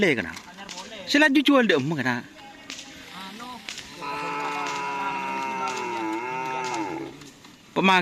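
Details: Cattle at karapan sapi bull race training on the Asemanis field in Pamekasan, preparing for the Kawedanan event: a long, steady, harmonic-rich moo holds for about three seconds after bursts of wavering voices and crowd noise.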